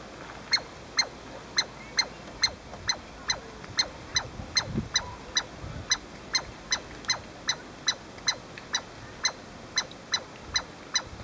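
A Douglas squirrel calls in a long run of sharp, high chirps, each dropping quickly in pitch. The piercing notes come over twice a second, an insistent alarm at an intruder near its home.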